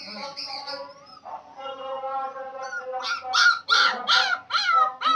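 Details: Puppies in a village: drawn-out, tonal whines sliding slightly up and down, then a run of short, rising yelps repeated about every half second and growing louder toward the end.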